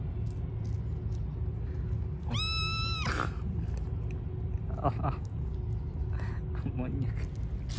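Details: Hungry stray cats on the street being given food: a loud, drawn-out high meow near the middle, steady then falling at its end, followed by faint shorter mews, with constant low rumble and a voice in Turkish.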